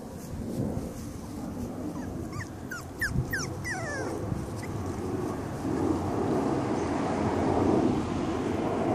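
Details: A five-week-old litter of Cavalier King Charles Spaniel puppies lets out a quick cluster of high, sliding squeaks in the first half, then gives way to a louder low rumble and muffled background noise.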